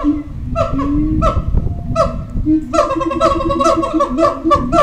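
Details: Zoo-kept howler monkeys at Twycross, howling and moaning at feeding time as they stake out their territory: spaced nasal honks, then a rapid run of rasping, buzzy pulses, all fairly deep and harmonic.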